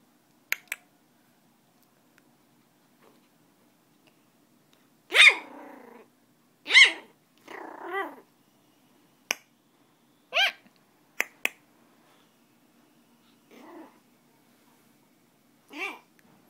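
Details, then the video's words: Baby poodle indoors producing a series of sharp high yaps and short growly barks spaced a second or two apart, separated by quiet gaps with a few faint clicks. "Baby poodle"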